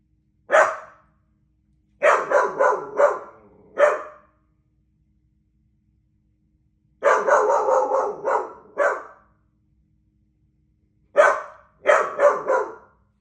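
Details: A doodle dog barks at birds in sharp, mid-pitched bursts, single barks and quick runs of four to six, separated by short silences.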